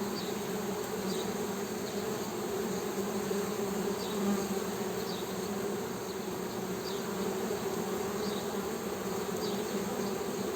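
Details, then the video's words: Humming of Western honey bees, a continuous low, even drone with an overtone above it. Thin, high chirping notes recur faintly every second or so behind the buzz. "HONEY BEE'S HUMMING SOUND"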